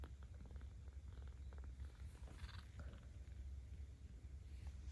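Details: A 17-day-old kitten cared for by cat volunteers in Tama City, Tokyo, purrs while being petted, filmed 10 October 2022; a steady, deep rumbling purr runs throughout, with a brief rustle of handling midway.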